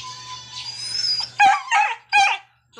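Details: A 'talking' pet dog gives a long, thin, steady whine, then three short, bending yowls in quick succession, over a low background hum.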